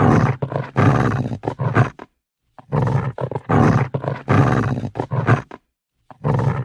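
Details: Angry dog snarling and growling in rough, low-pitched pulses, grouped into three bouts with brief quiet gaps between them.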